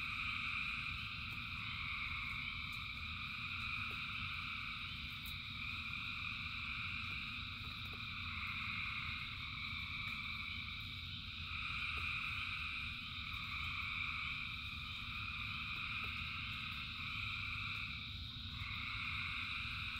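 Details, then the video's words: A rain-soaked frog chorus, thousands singing at once, holds a thick band of overlapping high trills for twenty seconds, rising and dipping gently in strength, with low rumbling rain and scattered clicks beneath. "Frogs in Rain 2 Hours of Frogs, Thousands of Frogs Singing"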